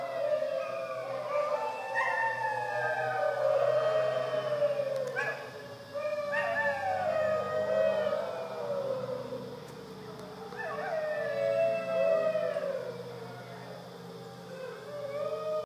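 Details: A dingo at Wirrimbirra Sanctuary, Tahmoor, NSW, Australia, gives long, wavering howls that rise, hold and slide down, with overlapping voices.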